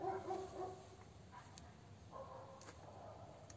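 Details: A whimpering Lagotto Romagnolo puppy, ten days old, makes a tonal wavering whine at the opening, then a softer drawn-out whimper midway, against low background hiss.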